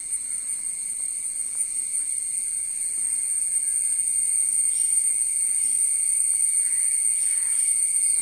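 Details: Crickets in a mango tree in the Western Ghats, India, give a steady, high-pitched ringing drone that carries on without a break.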